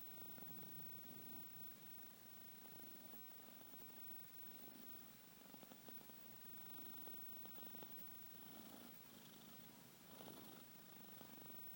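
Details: Faint rumbling snore from a sleeping pet cat, soft and even throughout, with light breathy swells against steady indoor hiss.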